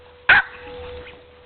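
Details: Pet dogs at play, with one sharp, loud bark lasting a split second, then quiet background with a low steady hum.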